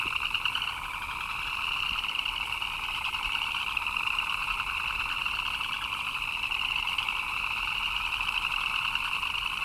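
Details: Many frogs calling together in the rain, their rapid pulsed chirps merging into a continuous shimmering drone at two pitch levels, over a faint wash of falling rain.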